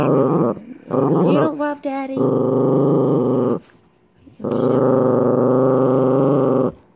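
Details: Male Chihuahua kept as a pet growls at the boyfriend of his owner, whom he hates: long buzzing, rattling growls with a few higher whiny notes mixed in near the start, a quiet pause, then another sustained growl.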